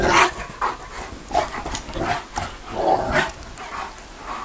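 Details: A Bucovina Shepherd Dog gives deep, rough barks in irregular bursts.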